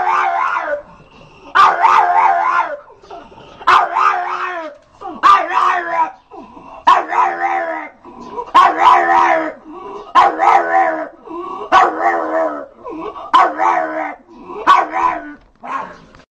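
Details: Little dog giving an unusual, funny bark: drawn-out, howl-like yowling calls with stacked harmonics, each about a second long, repeated roughly every one and a half seconds, some wavering and yipping.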